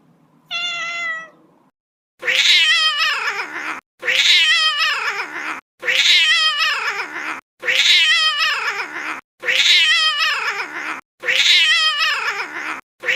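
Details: Kitten sound opening with one short tonal meow, then six loud, harsh, wailing cries that slide downward, each about 1.5 seconds long. The cries repeat almost identically every 1.7 seconds with brief silences between.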